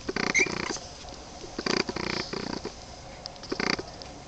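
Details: Young Boston Terrier puppies at 23 days, rasping little growls in short clusters, one burst early, a stuttering double in the middle, another near the end.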